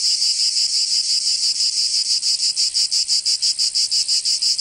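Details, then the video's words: In Provence, southern France, a summer cicada song starts as a near-continuous high hiss and breaks into clear, regular buzzing pulses about three each second. "Canto Cigarra 🦗 [ Escuchar les cigarras en verano 10 H]"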